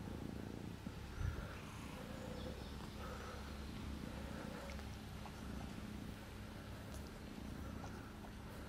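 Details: Cat purring while a kitten is with its father: a soft, steady low rumble running unbroken throughout, even in loudness, with one brief knock early on and a quiet indoor hum underneath.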